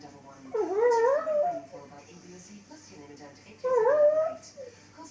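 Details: Lhasa Apso dog howling along to the Coronation Street theme tune, two sliding, quavering howls about three seconds apart, each rising then falling, with faint television sound in the background.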